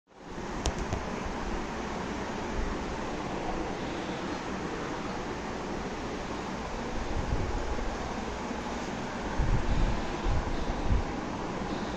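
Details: Steady broadband wind and rushing noise fills all twelve seconds, with a constant low rumble and no animal calls heard.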